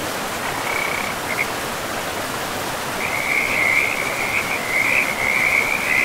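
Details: Frogs by a pristine forest river: a short high trill and a few clicks, a pause, then a loud sustained buzzy pulsed trill through the second half, over steady rushing water.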